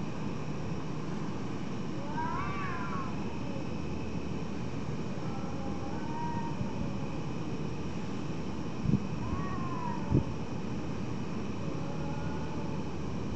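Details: Nighttime cats meowing: several faint, wavering meows spaced a few seconds apart, some sliding upward then down, over a constant deep rumble, with two brief knocks near the end.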